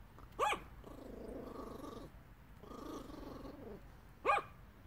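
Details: Yorkshire Terrier dog begging indoors: two short, sharp high barks about four seconds apart, with a low steady murmur of voices in between.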